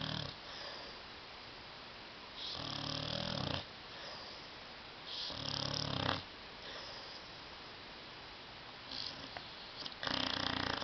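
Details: Indoors on a love seat, sleeping pet dog Tyson gives loud rasping snores, broad harsh buzzy bursts of about a second, repeated every three to four seconds, with soft breathing noise in the gaps.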